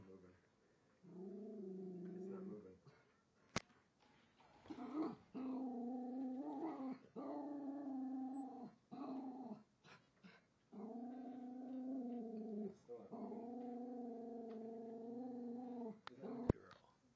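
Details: Female Jack Russell mix, about four and a half years old and rescued, growls indoors at a toy train on a track beneath the Christmas tree during her first Christmas. She gives sustained low growls lasting one to two seconds, separated by short pauses, with a sharp click.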